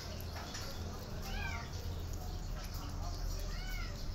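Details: Mother cat out of doors for the first time with her kittens; two arched, harmonic meows rising then falling, one early and one near the end, over a steady low rumble.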